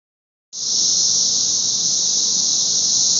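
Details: Thousands of Brood XIX periodical cicadas massed on a six-story wall in Nashville, filmed May 24, 2011: after half a second of quiet, a deafening steady high-pitched droning hiss starts and holds without a break.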